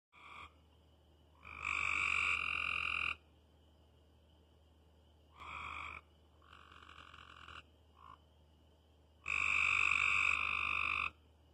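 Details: Frogs calling at night: loud buzzy croaking bursts lasting one to two seconds, several overlapping callers, separated by quiet gaps with a faint steady high tone in the background.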